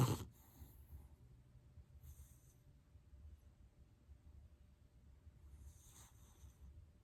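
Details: Soft snoring from a sleeping dog: low, rough breathing rumbles continue throughout, with airy hiss bursts near two and six seconds and a sharp knock at the very start.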